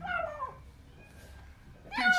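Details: Starving stray kitten Portakal cries while eating food indoors. A short falling meow opens the clip, and after a quiet pause a second louder, rising call arrives over faint human speech.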